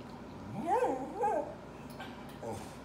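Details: Dog crying with two short rising-then-falling whimpers close together near the start, over a steady background hum and faint room noise.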